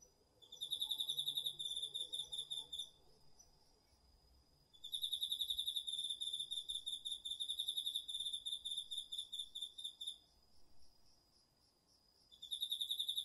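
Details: Cricket and other autumn insects at night in a garden field, recorded with a DR-40X: loud, fast-pulsed shrill chirping in bursts of several seconds separated by quieter gaps, a steady high trill continuing underneath.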